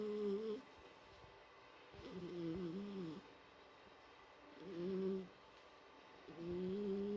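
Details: Household cat named Mike snores in repeated humming breaths, each about a second long with a faint whistling tone, coming every two to three seconds against soft constant background hiss.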